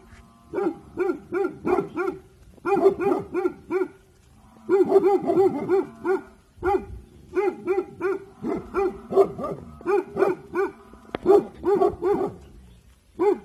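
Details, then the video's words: Bhotia dog, a guard breed, alert and guarding in the evening, giving bursts of rapid sharp barks in rows of three to six, with short pauses between bursts, repeated throughout; a man's voice speaks in Hindi near the end. "Bhotia dog Dabu Goli Alert guarding in evening Time"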